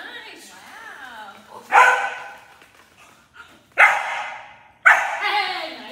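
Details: German Shepherd puppy in protection training, an introduction to barking: three sharp, loud barks at roughly two, three-point-eight and five seconds, with softer voice-like sounds and murmuring between them.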